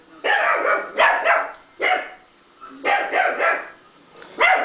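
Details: Chihuahua Jazmin, a pet, barks at a playback of her own recorded barking, taking it for another dog; high, sharp yaps come in quick clusters of two or three, separated by short pauses.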